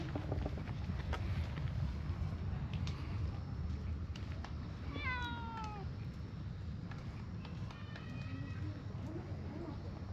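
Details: Brown tabby-and-white stray cat beside a park pond, moving to a spot where it gets petted; one drawn-out meow sliding downward midway, then a shorter, flatter meow, over a steady low outdoor rumble with scattered clicks and rustles.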